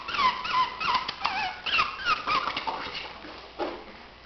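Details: Chihuahua puppies whimper and squeak in thin, wavering high cries, one after another.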